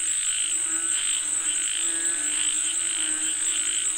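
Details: Many frogs call for rain together, giving regular rasping pulse trains roughly every half second beneath an unbroken high-pitched whine.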